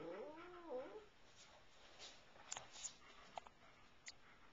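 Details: A one-year-old cat, chased by German shepherds as she pursues a bug, gives a single short wavering meow at the start, followed by quiet room noise and sharp clicks and taps.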